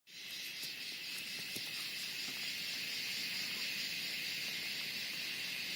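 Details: Cicadas in the Western Ghats buzz in a loud, steady, high-pitched drone that hardly varies, just before monsoon rain.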